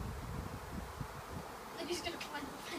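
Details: A Western honey bee (Apis mellifera) swarm in a garden at Northop Hall, North Wales, makes a low, steady drone of many bees, with people talking nearby.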